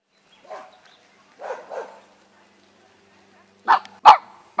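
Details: Japanese Spitz dog barking: a few soft muffled yaps early, then three sharp loud barks in quick succession near the end, with quiet room background.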